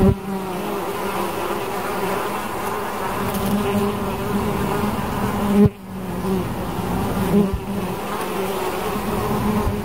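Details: Bees buzzing in a steady, droning hum with a strong low fundamental and stacked overtones, holding nearly constant throughout apart from a brief dip and a soft knock midway.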